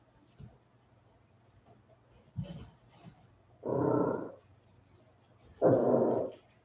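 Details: A 47-day-old West Highland White Terrier puppy, home from an outdoor break, gives two strong, rasping growls of under a second each, about two seconds apart, after a few faint thumps.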